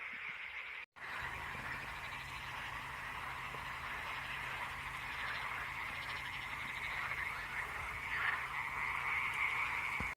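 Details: Frogs calling in full chorus in Karagöl lake at Şıh Mahmut Karagölleri, Amanos Mountains, Kuzuculu, Dörtyol, Hatay, Turkey; a dense continuous croaking wash with rapid pulsed trills, steady throughout after a brief gap near the start.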